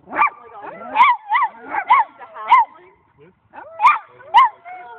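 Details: Holly, a dog meeting two new dogs alongside two dog friends, gives a run of short, tonal, yelping barks in quick bursts with brief pauses, offered in place of her usual unfriendly greeting; people talk in the background.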